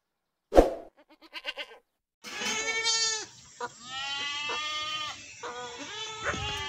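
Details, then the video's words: Domestic goats calling: a short thump and faint pulsed bleats, then a long run of loud, quavering, strongly tonal bleats from several animals, overlapping and wavering in pitch, with brief gaps between cries. "Goat Voices"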